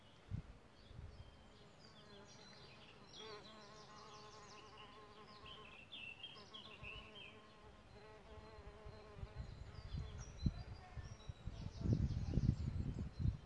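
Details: Solitary bees nesting in a bug hotel: a steady, low, droning flight buzz that holds for several seconds, with small birds chirping and twittering in the background.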